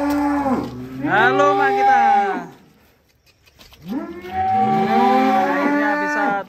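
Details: Giant cow being unloaded from a truck gives two long, loud moos, each about two and a half seconds, rising then falling in pitch with rich harmonics, separated by a short pause.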